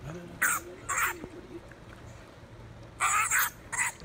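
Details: Three aggressive wild honey badgers brawling on a road near a safari lodge in southern Kruger, heard as harsh, broadband squealing bursts, two close together early, then two more after a pause, over a low hum.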